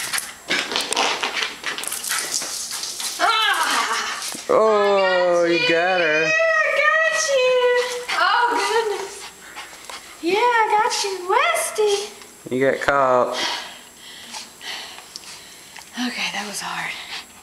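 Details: Zoey, a West Highland White Terrier, playing indoors with her owner: drawn-out, wavering, whine-like yowls that rise and fall, with a long sustained stretch in the middle and shorter bursts later, mixed with a woman's chatter and scuffling play noises.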